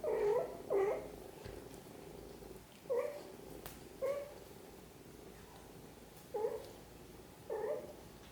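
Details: Mother cat caring for her kittens; a series of short, soft mid-pitched chirps and mews, six or seven brief calls spaced irregularly about one second apart, indoors with a quiet background.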